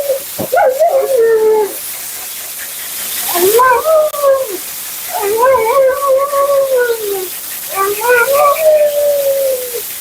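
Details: Mila, a talkative Siberian Husky getting her second groom, complains in four separate drawn-out arching howls, each rising then drooping in pitch with a warbling quality, spaced by brief gaps, with hiss of grooming equipment behind.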